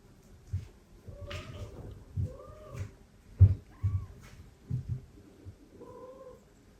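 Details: Older female cat introduced indoors to adopted foster kittens in the same room. Several clear, moderately pitched meows, each slightly arched in pitch, mix with soft thumps and bumping sounds close by.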